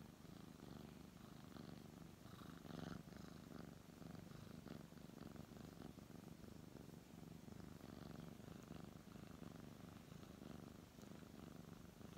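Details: Brown tabby domestic cat purring steadily while being stroked and petted indoors; a continuous low rumbling purr with a regular pulsing rhythm, quiet throughout, with faint rustling of fur and hands.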